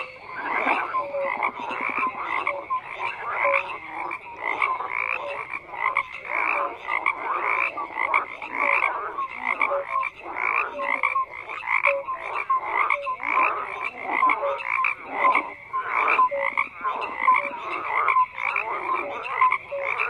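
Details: Frogs in full chorus, a thick wall of rhythmic pulsed croaks and scattered brief whistle-like notes, unbroken for the whole stretch.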